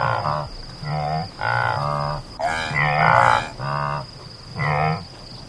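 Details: Several drawn-out, moaning antelope grunts, low and nasal with strong harmonics, following each other closely over five seconds; one louder, brighter call stands out midway, and a faint steady high tone persists.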